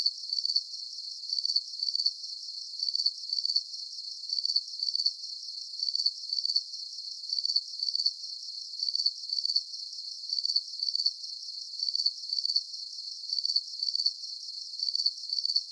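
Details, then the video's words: Long, evenly paced run of cricket chirps, each a rapid high trill, repeating about twice per second with clockwork regularity above a soft, unbroken high hiss; no other sounds. "Calming Cricket Sounds"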